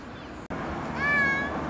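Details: One short, clear meow from a street cat among the cats of a neighbourhood street. It is a single steady tonal cry held for under half a second after a sharp click, with a low background hum.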